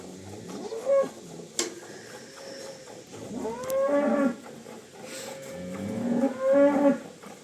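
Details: Cholistani Jersey cross cow in Pakistan, filmed March 12, 2025 while offered for sale, calls in a series of rising, nasal moos, the longer ones held steady for over a second, with short pauses and quiet surroundings between calls.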